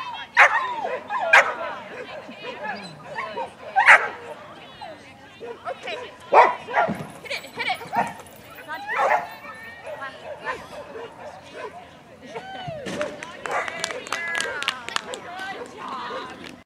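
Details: Female dog on a Masters Standard agility course giving scattered loud barks and yips between stretches of human speech and cheering, with the barking denser and quicker near the end.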